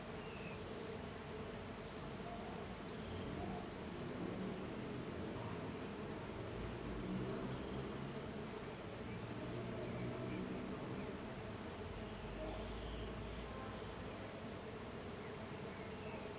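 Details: Small golden jatai stingless bees, Tetragonisca angustula, in intense activity outside their hive: a steady, dense hum of many wings with faint tonal bands, unbroken for the whole stretch.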